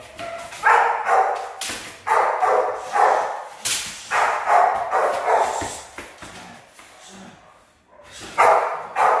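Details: Rottweiler puppies in a training routine for high-performance guard work, barking in rapid bursts: about ten sharp, harsh barks, some in quick pairs, with a short pause before a final loud pair.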